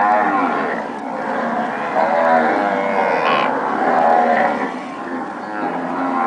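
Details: Pedigree Nelore cows with calves call steadily, overlapping drawn-out moos forming a loud, unbroken chorus that swells and fades over several seconds.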